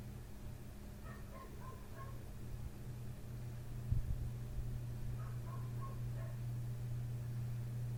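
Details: A neighbour's dog right outside a window barks through the night, starting at 1:30 am and still going at 3 am. Two faint, distant bursts of several short barks sit over a steady low hum.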